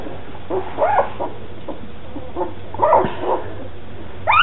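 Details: Two-week-old red and black standard poodle puppies from the second litter of Molly and Cooper give short, thin squeaks and whimpers, scattered irregularly with quiet gaps and low room hum between them.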